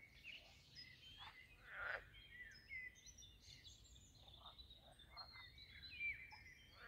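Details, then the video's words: Frogs at a pond in the landscaped garden of Castle Aerwinkel, Posterholt, Netherlands, give short, rasping croak bursts at irregular intervals. Thin whistled birdsong threads continuously above them, over a low hiss of outdoor background noise. "Talking Frogs and other jungle sounds at the Pond"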